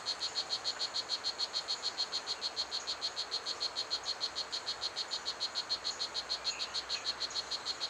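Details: Strawberry poison dart frog, known as Blue Jeans, a 2.5 cm frog at Pierella Ecological Garden that is loud enough to be heard across the garden. It gives a steady series of short, buzzy, high chirps, about three per second, over a hiss of insects.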